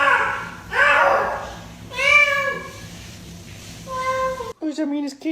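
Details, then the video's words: A cat makes weird sounds: two drawn-out, slightly rising meows about two seconds apart, after muffled noisy sounds. A brief clearer cry closes the clip, and faint indoor background noise runs throughout. "Ranking cats making weird sounds"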